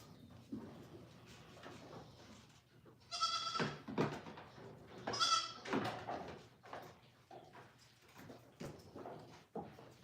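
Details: Goats on a farm, penned while learning to stand calmly; two loud, high, harmonic bleats near the middle rise out of a background of clattering and faint rustling.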